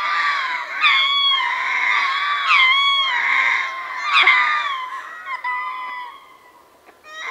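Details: Chorus from a troop of ring-tailed lemurs, Berenty, southern Madagascar, heard at medium-close range: long overlapping wails with sliding, bending pitches, punctuated by sharp cries, fading in the final seconds before rising again.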